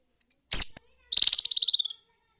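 A young squirrel gives a sharp chip, then a fast run of high, bright chirps.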